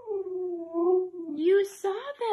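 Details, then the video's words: Siberian Husky Mika, who chased squirrels on her 30-minute walk, holds a long, fairly steady howl that wavers slightly, then breaks into short, higher yowls at the end, with a person's voice faintly mixed in. "Husky dogs Crazy and Hyperactive"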